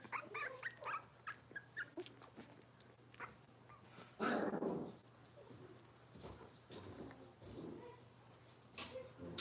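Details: Indoor kitchen cam of Robin's Cavalier King Charles Spaniel puppies: a rapid string of short yips and whimpers, a low rough growl in the middle, then scattered squeaks over a steady background hum.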